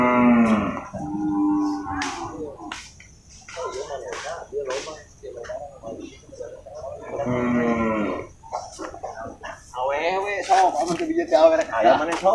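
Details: Water buffalo at the Purwakarta animal market on 21 November 2022, amid cattle and buffalo traders: a short moo at the start, a longer bellow midway, and a ragged call at the end, with voices and clatter filling the gaps.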